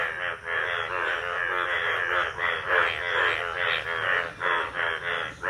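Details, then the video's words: Indian bullfrogs calling from a village pond as the monsoon rains start their breeding season; a steady, grating din of overlapping nasal croaks, swelling and fading every second or so. "Indian Bull Frog / Frog Sounds"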